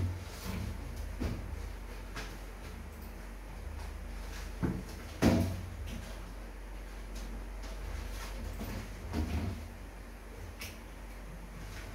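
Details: Indoor knocks and thuds like drawers or cupboards closing, scattered every few seconds over low background noise, with a trace of speech and no clear animal voice.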